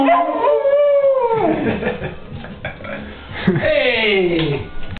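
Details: Hound howling along with a saxophone: long wavering howls that slide up and then fall away in pitch, rich in overtones, with a second falling howl near the end and saxophone tones sounding alongside.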